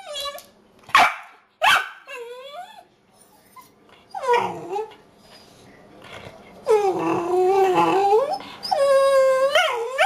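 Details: Tipsy, a puppy of 10 months, vocalizes in annoyance over food left on the counter: sharp barks early, then drawn-out howling whines with wavering pitch, some lasting nearly two seconds.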